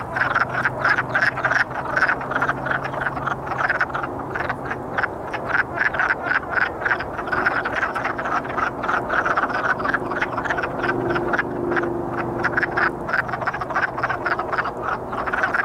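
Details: Wood frogs in a courting chorus, a continuous, busy stream of short hoarse clucks from many callers, rapid and steady throughout with no pauses, over a faint low hum.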